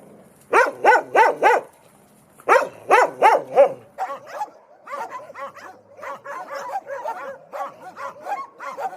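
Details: Dog barking loudly: a quick run of four deep, harsh barks, a pause, then three more, followed by a quieter, busier stretch of rapid overlapping yaps and yips.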